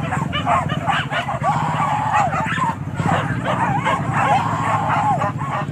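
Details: Hunting dogs chasing wild boar in Kayu Ampek, Tanah Datar, produce rapid, overlapping excited barks and high yips, with occasional whining yelps and human voices mixed in throughout.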